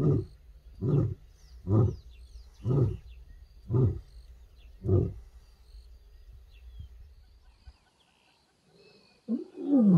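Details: The closing grunts of a wild lioness's roar on an African reserve: six deep, gravelly pulses about a second apart, a brief quiet, then a new rising moan beginning at the end.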